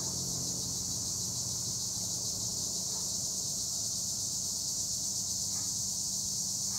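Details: Tree crickets calling from olive trees near Gure, Edremit, Turkey: a dense, unbroken high-pitched shrill drone holding steady throughout, with a faint low hum underneath.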